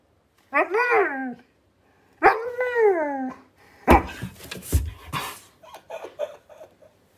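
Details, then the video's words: Vocal Siberian Husky 'talking' indoors during a gaming session: two drawn-out, bending howly moans, then a burst of noisy sounds and softer broken vocal fragments in a small room. "My Husky Talks When I Play Call Of Duty"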